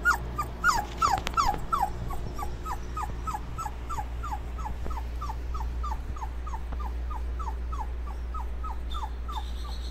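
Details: Dobermann puppies while cooling off: quick, repeated falling whimpers that start louder then continue evenly, with a low droning hum throughout.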